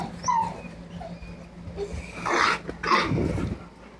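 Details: Excited pet dog making odd warbling vocal sounds: two short wavering, tonal bursts in the second half, with faint earlier whines and background music.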